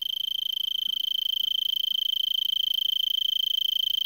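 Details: Tree cricket from Vail, Arizona, singing in a brittlebush at 3300 ft around 5 PM on December 26, about 70 °F, begun well before sunset: rapid, evenly beating high trill, steady in pitch and volume.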